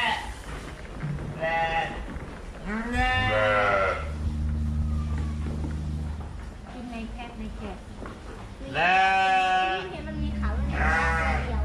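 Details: Fluffy sheep bleating: several wavering, quavering bleats spaced a few seconds apart, with a short one near the start and longer ones in the middle and end, over a steady low hum.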